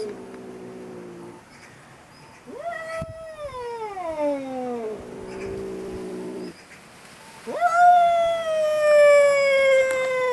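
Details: Angry domestic cat yelling indoors: long drawn-out harmonic yowls that slide downward over about two seconds, a low steady moan, then a sharp rising wail that levels off and holds. Soft movement noises between calls.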